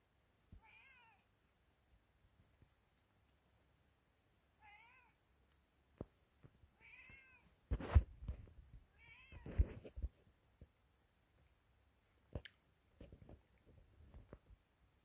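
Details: Kittens meowing while eating eggs: four short, rising-then-falling meows spaced a few seconds apart, soft and indoors, with clattering and eating noises from about eight seconds on.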